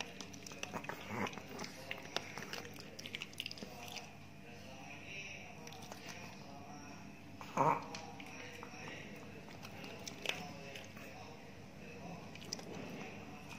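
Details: Ted, a big Chihuahua living in Indonesia, eating new dog food after days without appetite: irregular dry crunching and crisp biting clicks, a louder burst near the middle, over a low steady hum.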